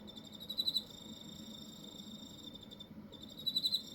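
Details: Cricket in Hokkaido producing a thin, high, continuous trill, punctuated twice by louder clusters of four rapid pulses about three seconds apart, with a brief pause just before the second cluster.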